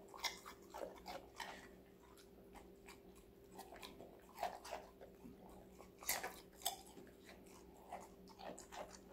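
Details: Connie, a female Golden Retriever puppy of five months, chews assorted vegetables in a small room; rapid crunches crowd the opening seconds, then bursts of loud snapping bites recur amid quieter chewing, with a faint hum behind.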